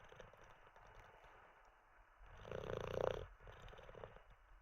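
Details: Sleeping Olde English Bulldogge called Teddy. Quiet airy breaths, then one rattling snore of about a second that rises and fades before the soft breathing resumes.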